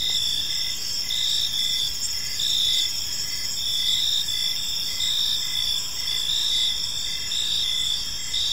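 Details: Crickets chirp through an evening in a peaceful park, a bright high chorus of overlapping trills with short chirps repeating under a second apart and gentle rises and falls in volume.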